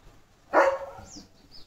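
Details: Leo, a German Shepherd being bathed at home, gives a single sharp, harsh bark that fades into a brief trailing tone, with light chirping in the background and people chatting in Marathi just before and after.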